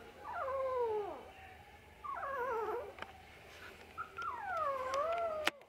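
A Shih Tzu gives three drawn-out, wavering whines, each sliding down and then curling back up.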